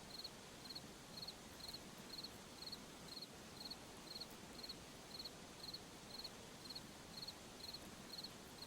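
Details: Crickets in a forest at night give short, high chirps at a steady pace of about two per second, seventeen in all, over a constant soft hiss of night ambience.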